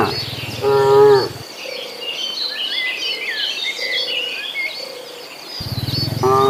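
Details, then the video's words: Cattle herd heading to green pasture: a single short moo near the start and another cut off at the end, with a lively chorus of chirping birds and soft insect buzz filling the gap. "Suara sapi lucu riang gembira"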